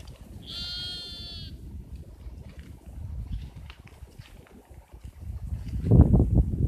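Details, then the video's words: Sheep giving a single strained, quavering bleat lasting about a second, followed by low rustling and thumping noises that grow louder toward the end. "Strange noise of sheeps"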